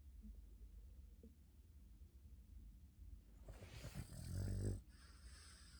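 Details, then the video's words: Boston terrier sleeping, snoring: a quiet low rumble of breaths that swells into a louder, rasping snort-like breath near the end, then drops back to soft low breathing. "All that Boston terriers do is sleep and snore"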